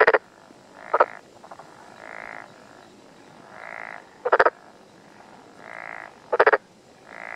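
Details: Close-range black-spotted pond frog, mountain area of Tokuji, Yamaguchi, Japan, morning of 6 June 2021: repeated pulsed rattling croaks roughly every two seconds, alternating with softer droning buzzes from other frogs.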